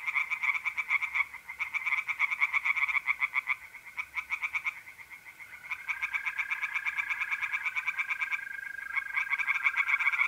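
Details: Several tree frogs singing together by night in a pond in north-east Italy in mid-April: dense, overlapping rapid croaks with uneven rhythm, layered over the constant trilling of mole crickets.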